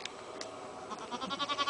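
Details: Baby goats, kids, playing together at a farm; a short nasal wavering bleat swells at the end after a quiet start with a couple of clicks.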